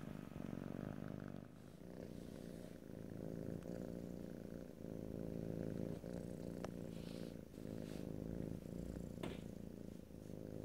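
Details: Close stereo recording of a pet cat purring: a deep, even rumbling drone that swells and eases with each breath, with occasional light taps and rustling.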